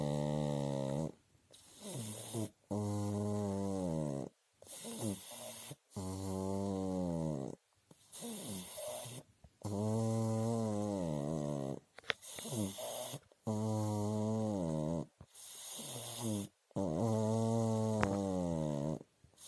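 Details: Pug asleep, snoring steadily: long, low, buzzy harmonic snores about eighteen times a minute, alternating with brief quiet inhalations, in a small indoor room.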